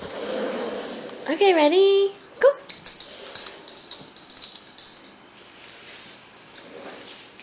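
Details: Bunny, a pet dog indoors playing catch with her bone, gives a rising then falling whiny vocalisation lasting under a second, followed by a short yelp; a woman talks to her before and after.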